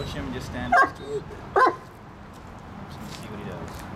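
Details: Waylon, a dog learning to stay calm and not bark or growl at people in public, lets out two short, sharp barks under ongoing human talk.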